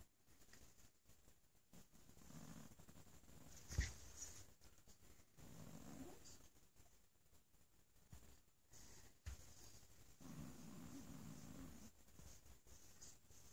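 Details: Bo, a sleepy pet cat, purring while being petted indoors; soft, low rumbling purr comes in bursts of a second or two with quiet gaps, plus faint handling rustles and a steady high hiss.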